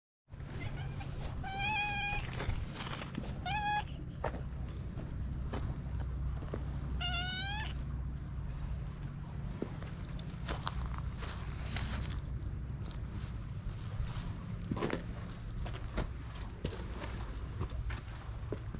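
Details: Free-roaming cats living in an abandoned school on a cat island, filmed with a GoPro; a few short meows in the first eight seconds, then clattering and clicking noises over a steady low rumble.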